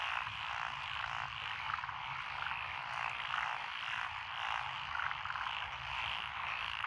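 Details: Frog chorus in lotus rice paddies along a country lane in Echizen, Fukui, Japan, June 2021, with Japanese tree frog, black-spotted pond frog, wrinkled frog, Schlegel's green tree frog and forest green tree frog; a dense continuous croaking wall with pulsed trills throughout.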